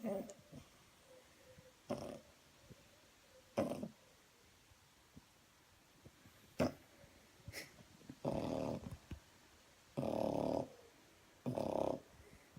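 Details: French Bulldog snoring, with brief soft snorts early on, then longer rattling breaths of about half a second each, repeating roughly every one to two seconds.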